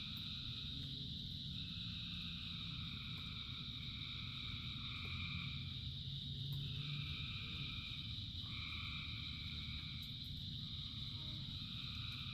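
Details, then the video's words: Rain-time gathering of many frogs: a sustained high buzzing chorus, with lower trills pulsing in and out every few seconds, and a heavy low rumble of falling water underneath. "Frogs in Rain 2 Hours of Frogs, Thousands of Frogs Singing"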